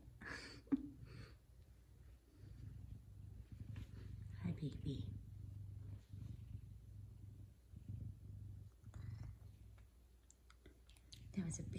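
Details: Male F2 Savannah cat purring indoors in the morning, a steady low rumble under a woman's frequent gentle talk, with a few brief higher sounds near the start and end.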